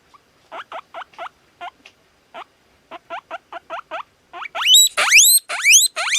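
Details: Guinea pig whistling: a fast series of short, looping squeaks at a steady pace. They build into longer, louder, sharply rising shrieks toward the end, with a quiet background.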